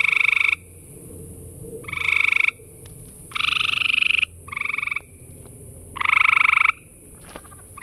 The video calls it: Surrounded by gray tree frogs calling!!